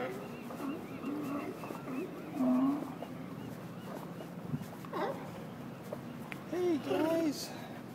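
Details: At Westport Harbor, Washington, a group of sea lions barks and honks together in a chorus, with a man's voice speaking in the background.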